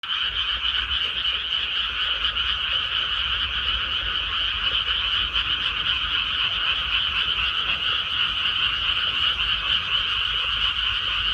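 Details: Dense chorus of many frogs croaking in a rice paddy after rice planting, overlapping rapid rattling calls forming a continuous steady drone with two bright bands, no pauses throughout, faint low rumble beneath.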